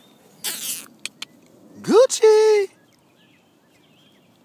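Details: Rottweiler puppies Gucci and G-Money: one yelp sweeps sharply upward, then holds as a steady, harmonic-rich whine for under a second. A brief hiss and a few soft clicks come first, against otherwise quiet surroundings.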